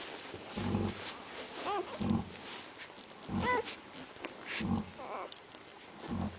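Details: Central Asian Shepherd Dog puppies giving short arched whines and yelps mixed with low grunting snuffles, in irregular bursts about every second or two.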